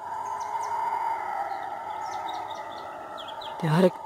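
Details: Guariba howler monkeys calling in forest: a distant, eerie, droning roar held steady at a low-mid pitch for several seconds, with small bird chirps above and a short sharp noise near the end.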